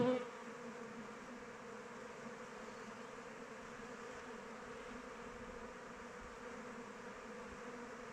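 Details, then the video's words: A hive of kept honey bees on the wing in open weather: a louder close buzz swells at the very start, then settles into a steady, low, two-toned hum that holds unchanged. "Bees flying around hive"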